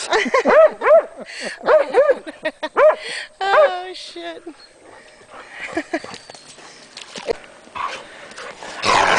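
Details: Two Hungarian Vizslas playing along the Delaware River in the Pocono Mountains near Delaware Water Gap, Pennsylvania, in April 2008; rapid arching yelping whines repeat about every half second for four seconds, followed by human voices and rustling.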